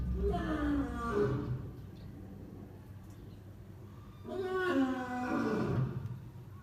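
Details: Lion seen at very close range, moving like a big cat: two drawn-out, moaning grunts with a rich, stacked tone, each lasting about a second and a half and separated by a quiet pause of roughly three seconds.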